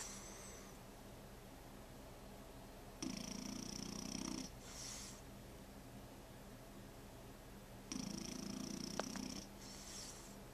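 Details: A sleeping French Bulldog puppy snores in two raspy buzzing breaths with a thin whistling edge, spaced about five seconds apart, over a steady indoor hum.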